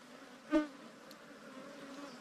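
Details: Wild ground bee, a rare cavity-nesting bee smaller than kept bees and giant honeybees, nesting in an underground hollow or termite mound while honey hunters beat out the nest: a steady low droning buzz throughout, broken by one sharp knock midway.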